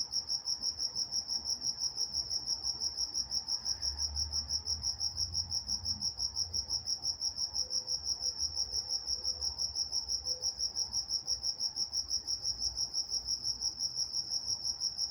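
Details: Crickets at night in Walnut, California: continuous high-pitched chirps pulsing regularly about three times a second, with a thin upper overtone band and only soft low background murmur.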